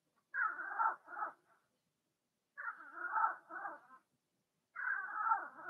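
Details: Blenheim Cavalier King Charles Spaniel puppies from a litter of six in a home puppy pen, giving three bursts of harmonic, wavering whines, each with a short tail, spaced about two seconds apart in otherwise silent surroundings.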